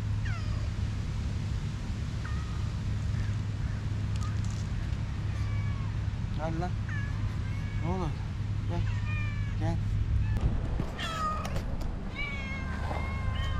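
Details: Several stray city cats gather as a man calls them for love and food; scattered short rising and falling meows from several cats overlap his repeated calls of "gel", over a steady low hum.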